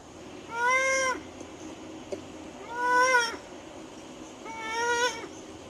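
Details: Ring-tailed lemur contact calls prepared as playback stimuli: three separate meow-like harmonic calls, each about half a second long, fairly steady in pitch and spaced roughly two seconds apart over a faint background hiss.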